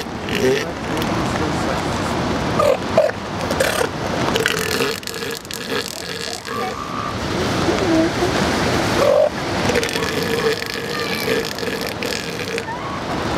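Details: Northern elephant seals near Cambria, California, on December 29, 2012: rapid pulsed calls in two long bursts, steady and throbbing, set against constant surf roar and people talking nearby.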